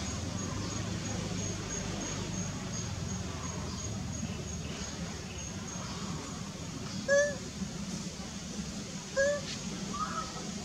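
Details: Unhappy jungle monkey Vegas, mother of baby Vigo, gives two short, loud cries about two seconds apart, each a brief bending squeal, over a constant hum of insects.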